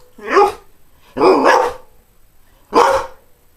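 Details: A greyhound, a breed that barely barks, gives three separate barks, each a short, hoarse burst with a mid-pitched tone.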